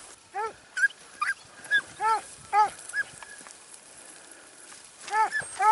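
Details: Segugio Italiano hound during hare-hunting training in Evros, Greece, 12 September 2018, giving ringing, arched baying yelps, about ten in six seconds, in quick bursts with a quiet gap midway.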